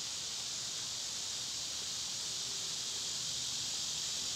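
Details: In summer, when they are loud, cicadas make an even, high-pitched sizzling buzz that holds at one level throughout, with no pauses and no other distinct sounds.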